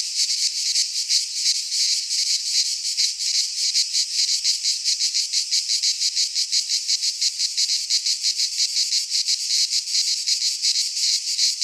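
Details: Greek pine-forest cicadas in midsummer produce a relentless high, sizzling buzz, rising and falling in fast pulses roughly three per second, a massed chorus with nothing else audible.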